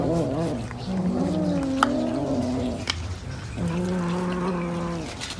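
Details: Cat eating fish, giving a drawn-out, low, moaning growl with a wavering pitch in two long stretches broken by a short pause, over a steady low background hum.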